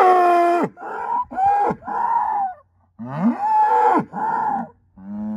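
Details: Angus herd sire bull, a son of SAV Harvestor 0338, born spring 2018, with well above average growth. He gives a run of about six loud, harmonic moos, some wavering and bending in pitch, separated by short gaps.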